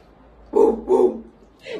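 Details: Indoors, a dog obeying a child's commands lets out two quick barks in a row, about half a second apart, then a brief spoken word of praise follows.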